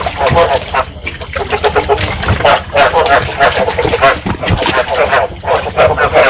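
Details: Rice field frogs in full breeding chorus, a Vietnamese frog-trapping lure sound; throaty pulsed croaks from several animals overlap, with brief lulls between louder surges.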